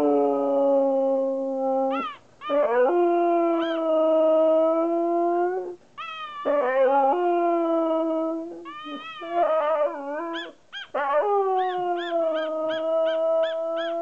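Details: Kai, a Siberian Husky, talking back to its owner with long, steady howls broken by sharp rising yelps, then a closing burst of quick repeated yips.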